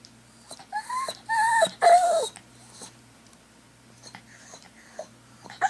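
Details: Dog howling indoors in an apartment while its owner's sister is away: a few rising-then-falling tonal cries, the last longest and loudest, then quiet snuffles and light movement in a small room.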